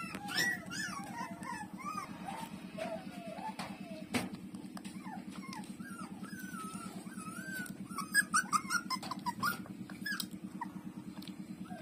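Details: Puppy Lulu nursing from its mother, with high, wavering whimpers and squeaks rising and falling in quick irregular series over a steady low rhythmic hum, plus occasional clicks.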